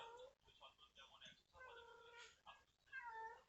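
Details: Street cat mourning her lost kittens, still wandering and crying as she looks for them; several plaintive meows of varying length, some rising then falling, mixed with faint voices and rustling.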